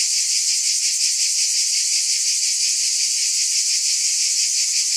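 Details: Massed cicadas buzz without pause, a bright sizzling sound with a quick, fairly regular pulse of a few beats per second.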